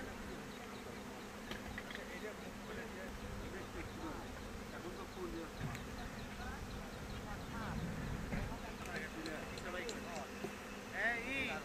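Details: Honey bees buzzing around hive boxes on a bee farm in Bangladesh: a steady low droning hum runs throughout, with people talking quietly in the background and scattered light clicks.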